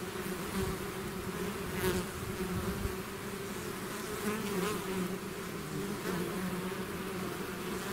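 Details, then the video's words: A swarm of bees out of its hive producing a dense, steady drone, with a low hum near 200 and 400 cycles carrying a continuous buzz and faint rising whines of single bees passing close. "bees therapy swarm natural buzzing sound"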